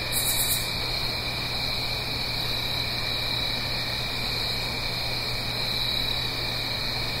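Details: Autumn night chorus of crickets in the Blue Ridge Mountains above a gentle stream, recorded in stereo: continuous shrill trilling without pause, a brief brighter buzz at the start, with water rushing softly beneath and a low steady hum.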